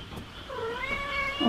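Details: Mother cat of a stray family that settled at a house, calling for the woman when she wants something; a drawn-out, wavering meow rising then falling, with a sharper accent near the end.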